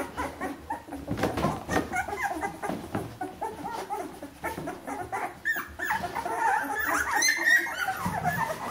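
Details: A 14-day-old litter of Bernese Mountain Dog pups, bred from Jeanie and Captain, whimpers and yips indoors. Rapid short squeaks crowd together, and the cries grow longer and more drawn out toward the end.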